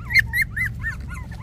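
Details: Puppies 24 days old giving a quick run of high, squeaky whimpers and thin rising-falling squeals, several overlapping in under two seconds, over a steady low hum.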